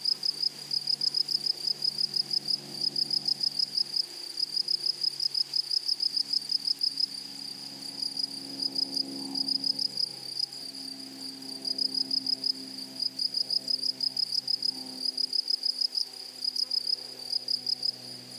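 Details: Grasshoppers stridulating in a flowery prairie meadow, short clustered bursts of high raspy pulses repeating steadily, over a faint low hum and rustle in the background.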